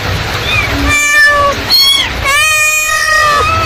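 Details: Mother cat calling her kittens: two long harmonic meows, the first level and slightly falling, the second rising then gently falling, with a brief higher squeak between them over low background rumble.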